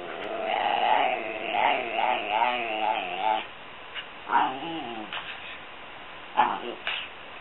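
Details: Mia, a pet dog, vocalizing during play time: a run of wavering, harmonic whine-like 'talking' sounds in the first three seconds, then a few shorter yelps and squeaks separated by quiet gaps.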